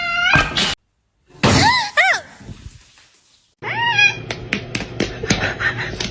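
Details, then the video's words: Kitten giving short arched meows, each rising then falling, heard in three separate bursts. Clicks, thumps and some noisy handling sounds come between them, with a silent gap in the middle. "kitten meowing"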